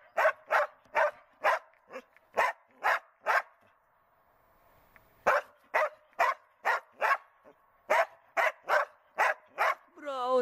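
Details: During search and rescue training, the Border Collie Tara barks in rapid, evenly paced bursts of clipped barks, pauses for about two seconds, then barks again and ends in a rising whine.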